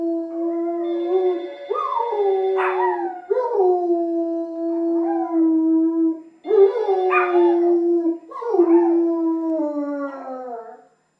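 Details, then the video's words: German Shepherd giving a continuous series of long, sustained howls, each holding a steady pitch with short rising swoops between phrases, nearly unbroken across the recording. "Berger Allemand hurle"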